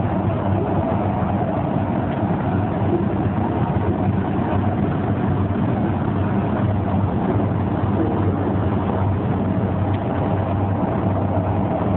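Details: Steady loud low engine rumble, like a vehicle or boat, fills the recording with no animal voice heard.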